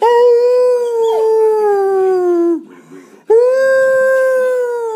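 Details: Pet dog Shredder joins a person's coaxing howls with two sustained, smooth howls, the first sliding gently downward and fading, a brief pause, then a second held tone with a soft rise and fall.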